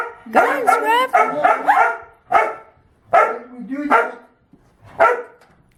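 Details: After a meal, two household dogs bark until the door to the deck is opened. A cluster of quick, high-pitched yaps is followed by single sharp barks spaced about a second apart, with a whiny undertone.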